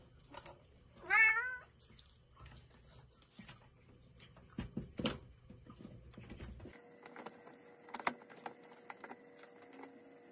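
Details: Domestic cat gives one short, clear rising-then-falling meow near the start, followed by quiet tapping and soft room noise.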